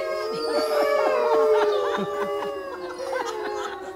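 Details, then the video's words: Wolf singing, a long sustained howl holding a steady tone with a slow downward glide, layered with several overlapping howling voices and short wavering yips throughout, continuous without pause. "singing wolf"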